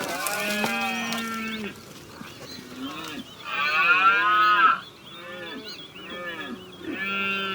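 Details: Rutting red deer bellowing in Ciudad Real, filmed from a hide with a DSLR camera: a series of rich, harmonic groaning calls, some rising then falling, one louder and rougher roar in the middle, and the calls overlap closely.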